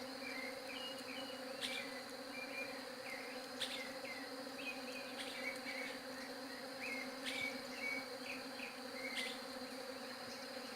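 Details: Continuous droning bee hum, level and unbroken throughout, with frequent small bird chirps scattered across the recording and a few sharp clicks.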